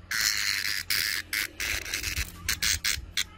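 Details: Brown cicada producing a rough, shrill buzz that starts long and steady, then breaks into shorter pulsing bursts about every quarter second, with a little low thumping in the background.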